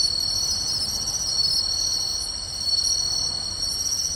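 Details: Night chorus of many crickets, among them pine and bell crickets, in beach grassland at Tainai on 24 August 2020; dense high-pitched steady trilling with brief repeated chirps standing out, constant volume.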